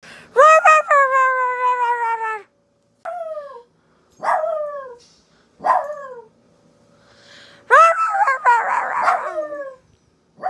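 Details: Female dog howling in answer to her owner's weird noises: a long steady harmonic howl near 2.5 seconds, then shorter falling wails in separate bursts, with a noisier, rougher howl near the end.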